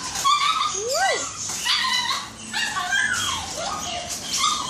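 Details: At the groomers for the first time, Snow the Shih Tzu lets out high whimpers, including one sliding up then sharply down, followed by several sustained whining cries that rise and fall.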